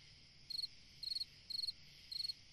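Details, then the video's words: Cricket singing on a summer night: four short pulsed chirps, each a quick cluster of high trills about half a second apart, over a steady faint high-pitched hiss of background insects. "Chant d'un grillon dans une nuit d'été / Singing a cricket in a summer night"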